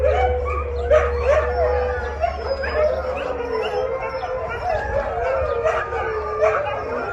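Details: Several rescued Siberian Huskies howl and yip together in the evening, hungry and waiting for dinner, as they do every evening.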